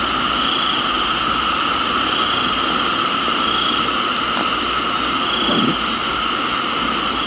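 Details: Crickets in a tropical garden in Thailand give a continuous, high, ringing chorus holding several steady pitches, over the broad hiss of rainfall with a few faint drips and taps.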